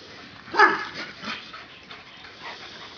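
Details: Lucky, a deaf Great Dane/Catahoula mix, plays with Sophie the St. Bernard and other dogs in his foster home; one sharp bark near the start, then softer yips and play noises among the dogs.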